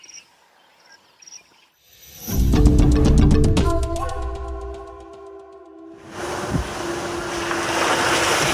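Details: A few faint high beeps give way to a loud musical jingle with a steady pulse, then broad rushing noise; no animal voice stands out.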